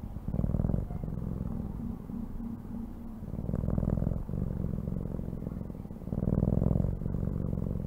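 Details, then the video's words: A cat purring: deep, fast-throbbing rumble in alternating phases, rising and falling as it breathes in and out, with louder stretches around the middle and near the end, plus occasional soft clicks. "CAT SOUNDS"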